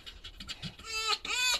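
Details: Pet female red fox at home in the morning, greeting her owner and showing joy as breakfast is brought; a run of high, bright, harmonic whining squeaks rises in the second half, with a woman speaking softly around it.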